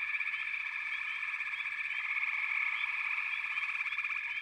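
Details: A dense frog chorus of many callers blending into a steady, shrill trilling hum, with short rising chirps flicking over the top throughout.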